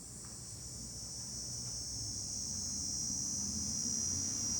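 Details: Cicadas singing in July, heard from a hilltop overlooking Fukuoka City, Japan: a steady, high, shrill buzzing drone that swells slightly in loudness, over a low rumble of wind and distant city hum.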